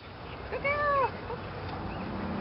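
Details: Lily, a female Belgian Malinois, during her second PSA bite-training session on leg sleeves, gives a single clear tonal whine about half a second long. It arches slightly up then down over a steady low background rumble.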